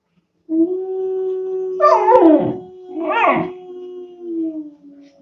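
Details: Two-month-old German Shepherd puppy with a level, drawn-out howl held for about four seconds, interrupted by two harsher, wavering vocal bursts before it trails off softly.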